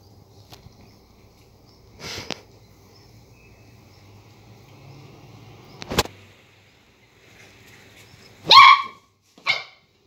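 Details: Border collie puppy reacting to a lemon it sees for the first time: mostly quiet with faint clicks, then two short bright yips near the end, the second briefer.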